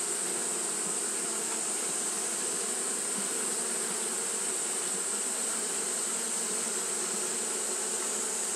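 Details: Fanning Japanese honey bees on a hot day, heard as a thick, level buzzing drone from many insects at once, high hissing wash above a steady low hum, unbroken for the whole stretch.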